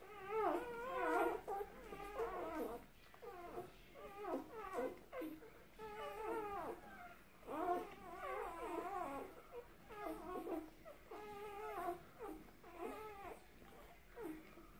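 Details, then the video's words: A litter of two-day-old puppies "singing": a chorus of high, nasal whines and squeaky yelps, each call bending up then down, overlapping in repeated bursts every second or so, with quiet rustling beneath. "Puppie's song"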